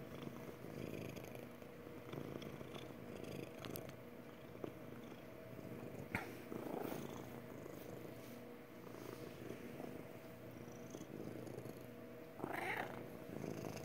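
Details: Magic, a pet cat, purring her happy purr indoors: a steady low rumbling throb running through the whole stretch, with a few brief rustles and soft bumps over it.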